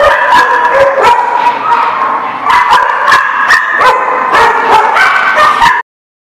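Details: Dogs recorded on 23 October 2017 in a dense, overlapping chorus of barks and high yips, nearly continuous for about six seconds before cutting off abruptly.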